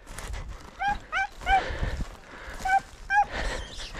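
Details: Hunting Podencos from the Perjuicillos pack yelping on the chase: about six short, bright, ringing yelps, some paired closely, over rustling outdoor background noise.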